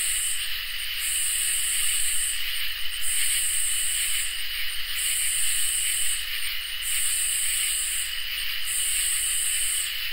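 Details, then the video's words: Summer night insect chorus of crickets and katydids. A constant ringing trill holds beneath a very high buzzy rasp that switches on and off about every two seconds, with each burst lasting a little over a second. "Crickets and Katydids in Summer | Ambient Night Chorus"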